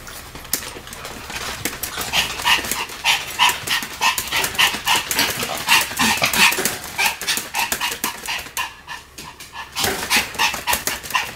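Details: Pet Pomeranian dog spinning very fast and barking nonstop: short, high, clipped yaps repeated about three times per second at a fairly steady pace, with a brief pause near the end, over a background of rustling and movement noise.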